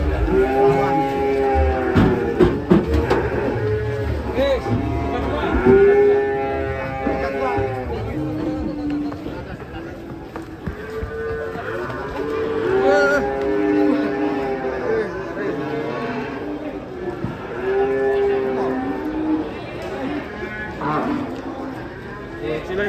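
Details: Cattle mooing repeatedly, a series of harmonic lows, some rising and falling in arcs, spaced every few seconds across the stretch, with clattering sounds and human voices mixed in the background.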